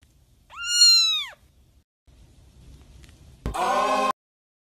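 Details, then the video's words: Two cats calling to each other indoors: a clear, arching tonal meow lasting under a second, a short quiet pause, then a harsher, buzzier second meow that starts abruptly and holds steady before cutting off. "Two cats talking"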